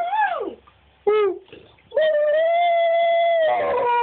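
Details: Husky-wolf hybrid pet singing with howls indoors. A descending whine and a brief yelp precede a steady sustained howl lasting about one and a half seconds. The howl ends in a rougher, overlapping tone.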